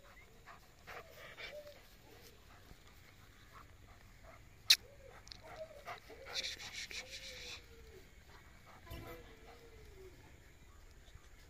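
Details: Long-coat female German Shepherd puppy, one of several puppies, giving a run of short rising-falling whimpers and whines, several in quick succession, with a sharp click, a brief hiss and faint background noise.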